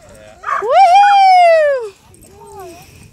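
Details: Alaskan Malamute named Tonka, two years old that day, excited at a busy dog park with other dogs: one loud drawn-out woo that rises, holds and slides down over about a second, then a softer short follow-up.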